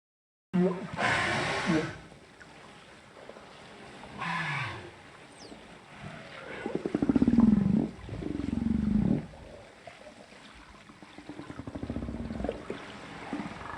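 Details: Humpback whale social sounds recorded by hydrophone off Cape Town, South Africa, on 23 January 2021: rough broadband bursts followed by low, droning moans and grunts.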